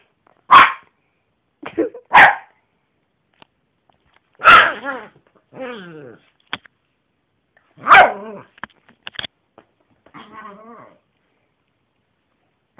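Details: A pet Yorkshire terrier named Jessy gives loud, sharp barks spaced a second or two apart, some followed by drawn-out whining, wavering yelps, in a quiet indoor setting.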